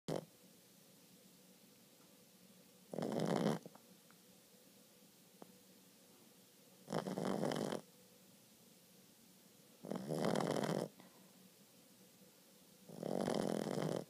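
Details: A 4-month-old Boston Terrier puppy snores in rough, breathy bursts, each lasting under a second, every three to four seconds.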